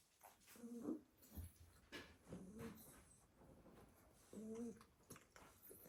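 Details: Staffordshire Bull Terrier puppies piled together in a basket indoors, sleeping after a full day of play in the garden; three short throaty, tonal snores with faint background rustling.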